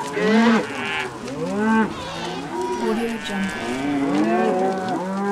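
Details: Several cows moo over one another, short arched calls alternating with longer flat lows, one call rising at the end; the herd keeps calling without a pause.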